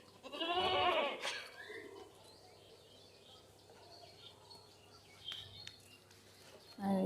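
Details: Newborn goat kid at home, just born and struggling to stand, letting out one loud quavering bleat near the start, followed by people talking quietly and faint handling noises.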